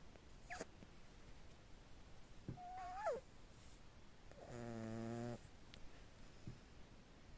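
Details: Small cat snoring while asleep: one low, buzzy, evenly pulsed snore lasting just under a second, preceded by faint squeaky and rustling sounds in a quiet setting.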